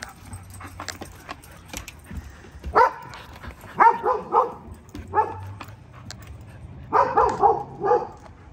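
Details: Guarding Belgian Malinois sounding off at a visitor with a run of loud, rough barks, single and in quick doubles and triples, while a person asks who's there.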